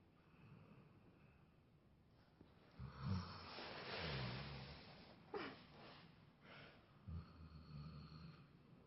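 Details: Labrador named Triggy, very tired, snoring through a mid-morning nap indoors, filmed 25 May 2017; soft, breathy rasping snores swelling in uneven bursts with low rumbling tones between quieter breaths.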